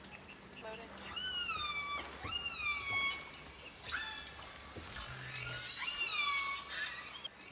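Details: Orca songs recorded underwater, from several family groups with very different ancestry, each family having its own song and dialect; repeated whistled calls that sweep up then fall, about one each second, over constant hiss and low hum.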